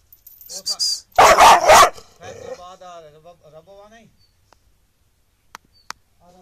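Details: Angry street dog giving a rapid, loud burst of barking lasting under a second, followed by a trailing, wavering whine that fades out; faint human voice sounds nearby.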